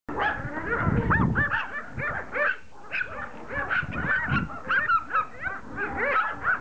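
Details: Several Pomeranians attacking a rugby ball, giving rapid high-pitched yaps and barks in overlapping bursts, with low thumping and scuffling sounds of play underneath.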